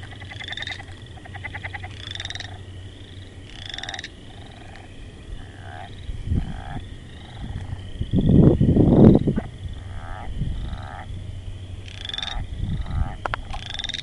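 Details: Frogs giving repeated pulsed, harmonic croaks at irregular intervals of roughly one to two seconds, over a low rumbling background, with a loud broadband burst of noise near the middle.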